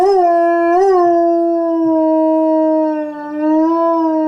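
A Chihuahua gives a long, sustained howl with a brief upward wobble near the start.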